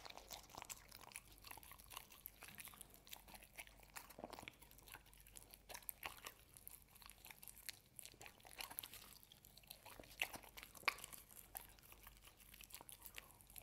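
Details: Pet dog Hazel chews homemade Steven Universe-themed treats of ube, oats and coconut indoors; dense, crisp crunching and biting clicks come in quick irregular bursts, close and dry, with no other sounds.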